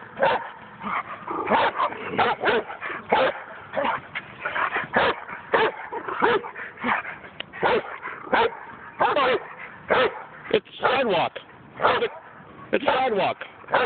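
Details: Barking German Shepherd kept behind a fence and brought out when a neighbour passes on the sidewalk; dense, sustained volleys of harsh barks, several per second, with a man's voice faintly mixed in.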